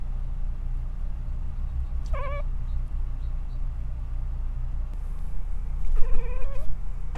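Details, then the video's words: A female cat chirps at birds, giving two short, quick rising trills about four seconds apart over a steady low rumble; the owner says she sounds sick but is fine. "Cats "Chirp" at Birds"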